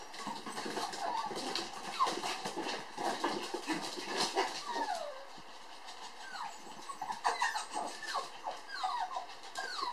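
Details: Toy poodle sisters, puppies born July 9, playing lively at a breeder's. Many short, high, downward-sliding squeaky whines repeat irregularly over steady rustling and scuffling noise.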